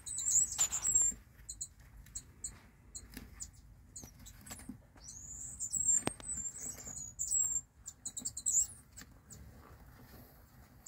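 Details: Mongolian gerbil, Meriones unguiculatus, giving high, thin squeaks and drawn-out whistled calls near the top of the range, some held about a second, mixed with short ticks and soft scratching patter.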